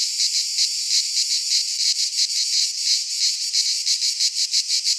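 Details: Cicadas singing in a Greek pine forest in midsummer: a dense, buzzy high-pitched drone pulsing in rapid rhythmic throbs, about three beats a second, with no other sounds.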